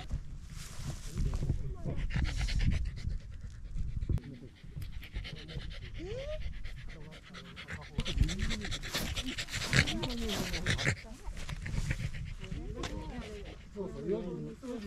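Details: Corgi panting while hiking a small rural mountain with views of the central Japanese Alps and Ina Valley on a sunny autumn day before the leaves turned; rapid breathy puffs early on, then people talking over softer panting.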